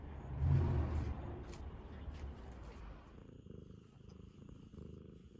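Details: An affectionate Ragamuffin cat seeking attention purrs in a low, rapid rumble, strongest in the first three seconds and then softer and steady, with faint rustling.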